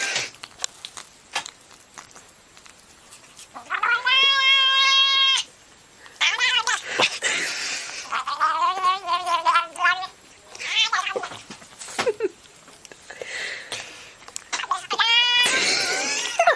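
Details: Domestic cat making funny noises: long drawn-out wavering meows and yowls with strong harmonics, some warbling, mixed with short chirps and rustling, plus clapping and people talking nearby.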